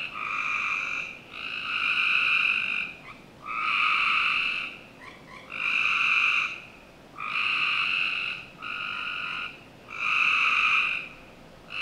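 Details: Frogs calling on a summer night in a backyard of a Northern Virginia home: buzzy, harmonic trills about a second long, repeated roughly every one and a half seconds in a steady chorus over a quiet hiss.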